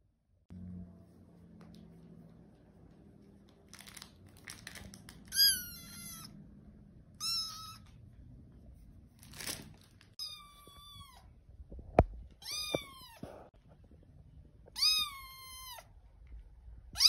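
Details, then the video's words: Muffin, a tiny, needy kitten wanting attention, gives about seven thin, high meows, each sliding downward and spaced a second or two apart, with soft rustling and crinkling between calls. "Daily struggles of the tiniest, whiniest, neediest lil kitten named Muffin"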